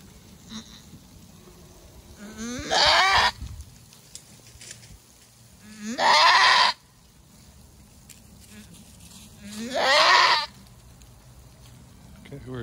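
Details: Female goat giving birth for the first time, a hard labour producing a single kid, with males pestering her: three loud, harsh, rising screams, each about a second long and spaced roughly three and a half seconds apart, over quiet background.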